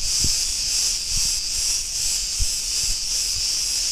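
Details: Shrill buzzing of Cretan cicadas in an Ierapetra street, Greece, pulsing roughly twice a second, with soft low knocks underneath.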